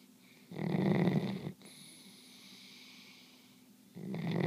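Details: Belle the dog asleep and snoring: one loud, low, rough snore of about a second, then quiet breathing with a faint high whistle, and a second snore beginning near the end.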